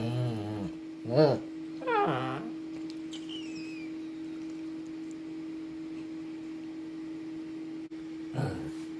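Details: Two-year-old male Shih Tzu at home, stubbornly demanding attention: three short, high, wavering whines in the first few seconds, then a quiet stretch with a steady electrical hum, and one more whine near the end.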